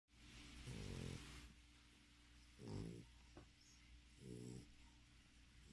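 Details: Sleeping English Bulldog snoring indoors: deep, rasping, throaty snores with a buzzy rattle, each about half a second long, repeating roughly every one and a half to two seconds, over a steady low hum.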